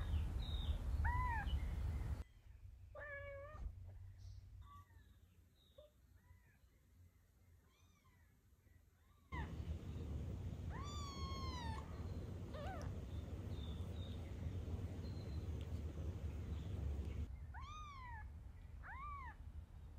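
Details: Mother cat rescuing her kitten. Meows arrive in scattered groups of arched, harmonic-rich calls. Abrupt cuts change the background from loud low rumble to near quiet and back.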